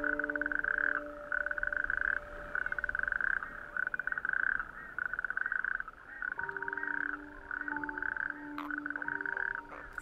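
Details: Natterjack toads call in chorus on a warm May evening from small islets of a bare, rocky outer archipelago. Males inflate their vocal sacs at night to attract females, producing a loud, rolling, ratchet-like churr in long overlapping trills.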